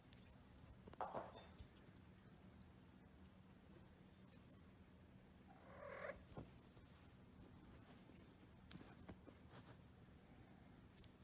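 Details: Domestic cat filmed while playing fetch indoors: two short, soft meows, one near the start and a longer rising one midway, over a steady low room hum with scattered faint clicks and knocks.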